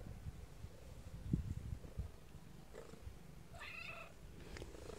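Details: Kittens heard mostly as faint low rustling and soft purr-like pulses, then one clear, bright harmonic meow near the end, a brief quiet squeak following.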